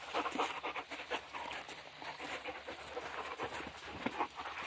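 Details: Dog at play in a yard, breathing in fast, steady huffing pants that repeat several times a second, with light scuffles and movement noise in the background.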